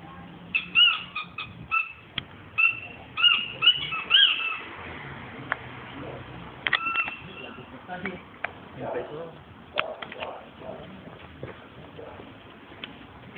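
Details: Trosky, a mischievous Alaskan Malamute, gives a run of high, tonal whines and yodel-like whimpers, then falls quiet.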